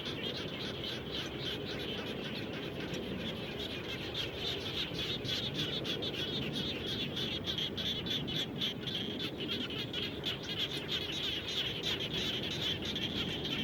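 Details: Chorus of frogs near a house after rainfall, a dense stream of quick high clicks and chirps running without pause, many animals overlapping, over steady broadband hiss and low rumble.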